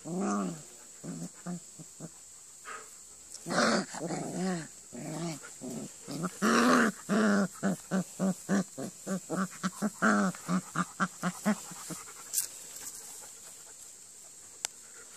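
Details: A German Shepherd puppy at a breeding farm gives a string of short, high whines and yelps with a few longer wavering cries.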